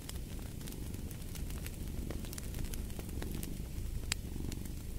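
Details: Low, grainy rumble of a purring cat, its breathing rhythm less distinct, mixed with dense crackling and sizzling from a fireplace and a few sharp pops.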